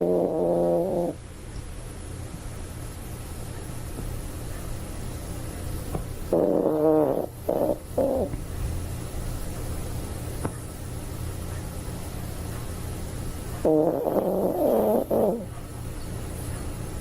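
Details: Sleeping Toy Poodle snoring: three bursts of wavering, whistle-like nasal snores roughly seven seconds apart, with a steady low hum and quiet breathing between them.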